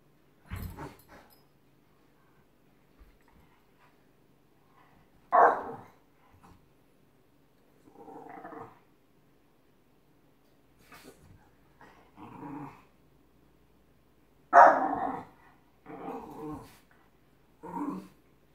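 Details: Giant Schnauzer playing with a Miniature Schnauzer indoors; short play barks and rough growls come in scattered bursts, with two louder barks near the middle and end and quiet gaps between.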